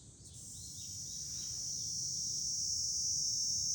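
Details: July cicadas sing from a hilltop overlooking Fukuoka city, Japan: a dense, unbroken high shrill drone that swells steadily louder over the seconds, with a soft low rumble of wind beneath.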